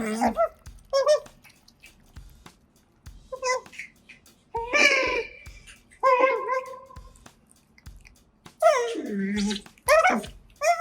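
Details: Otters Kotaro and Hana eating indoors, recorded with a microphone: irregular bouts of quick, bending, nasal chirps and whines, some rising then dropping, separated by quiet chewing gaps, with a faint low hum underneath.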